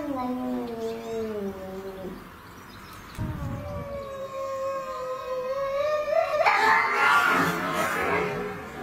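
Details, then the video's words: Fighting alley cats give low, drawn-out descending moans, then a long rising yowl that swells before breaking into a harsh, noisy spitting burst. "Deadly Cat Fights"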